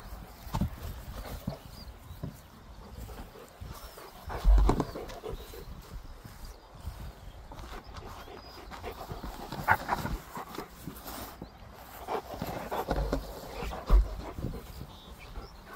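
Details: Gorlock The Destroyer, a pet dog, panting and snuffling during eating and play, with breathy bursts and a few louder low thumps scattered through the clip.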